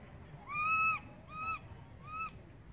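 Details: Infant monkey calling for its mother, who has gone far away: three clear, bending wails about half a second apart in spacing, each rising then dropping in pitch, the first longest and strongest, over faint background noise.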